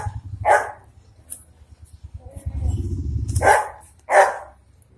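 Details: Dogo Argentino puppies aged four days in Delhi NCR, India, letting out a few sharp, scratchy squeals, separated by gaps. A low rumbling background noise runs under the middle stretch.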